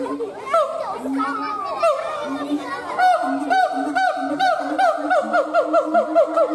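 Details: Siamang gibbon howling: tonal hooting notes, slower and spaced at first, then a fast run of short rising-and-falling barks repeated about twice per second, over a steady droning tone.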